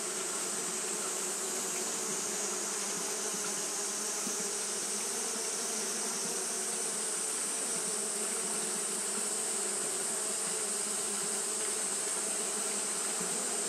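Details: Continuous fanning buzz of Japanese honey bees cooling their colony on a hot day: a thick, steady drone with stacked low tones and a bright hiss, slight pulsing texture, holding constant for the whole stretch.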